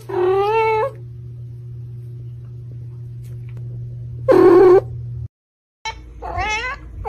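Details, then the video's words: Domestic cats meowing at their owners as if trying to talk, recorded up close: three separate harmonic meows, the middle one loud and short, the first and last longer and wavering, with a steady low hum underneath. "MEOW!| Cats meowing so innocently | Watch these cute cats trying to talk"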